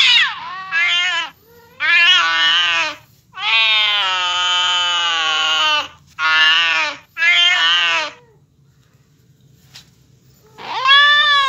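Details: Domestic cat hearing a cat fight and answering with a run of loud meows and drawn-out wails of varying length, bursts broken by short gaps, then a quiet spell before one more rising yowl.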